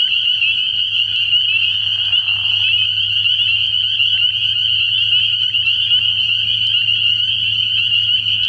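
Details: Spring peepers calling together at a frog pond at night early in the year: a dense, shrill, high-pitched chorus of overlapping peeps forming a steady ringing wall of sound, with a faint low hum beneath.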